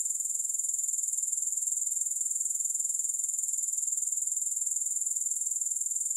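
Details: Steady high-pitched buzzing trill of grasshoppers, even and unchanging, with a soft regular pulse roughly twice a second, and nothing else audible.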